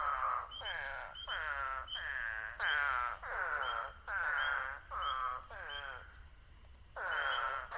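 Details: Eastern spadefoot toads call in the New Jersey Pinelands. Nasal, bleating "waaah" notes about half a second long repeat roughly every second, sometimes overlapping. Short high peeps of spring peepers sound in the background.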